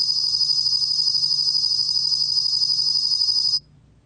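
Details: Bell cricket (곰방울벌레), recorded by the National Institute of Biological Resources in 2020, giving a steady, shrill, metallic trill with rapid pulsing at even loudness, stopping abruptly after three and a half seconds, followed by quiet.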